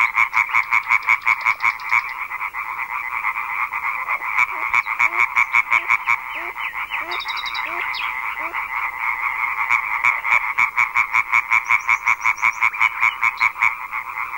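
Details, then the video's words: Loud European tree frog chorus from a big breeding gathering, said to start from dusk and sometimes afternoon, audible beyond a kilometre: rapid rhythmic croaks about three per second overlapping into a dense rattling wall, some softer dropping notes mid-way. "chant des reinettes vertes est alors si puissant qu'il porte parfois à plus d'un kilomètre [Rires] [Rires] rainette"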